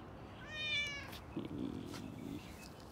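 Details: Cat at feeding time, recorded November 27, 2020 with a JVC camera, gives one short, high, thin meow over a low room hum, followed by faint shuffling sounds.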